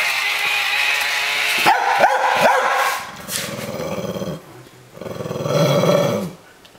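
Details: Mia the pet dog squaring off in play against a Buzz Lightyear toy: a few sharp yipping barks, then a low rumbling growl that rises and fades twice, with the toy's electronic voice and a person talking.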